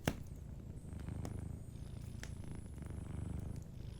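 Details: Gentle deep purr of a sleeping cat, a low throbbing rumble rising and falling in breath cycles, one loud fire crack at the start and a few fainter crackles from the fireplace.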